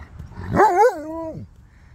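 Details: A Husky after grooming utters a brief rising-and-falling vocal whine with a wavering start and a steady held tone before fading, followed by laughter.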